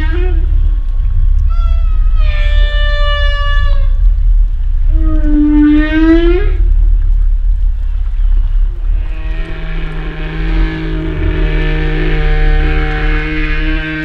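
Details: Humpback whale sounds underwater: drawn-out harmonic moans and an upswept groan, then a long buzzy, grating tonal call with a low steady hum beneath it.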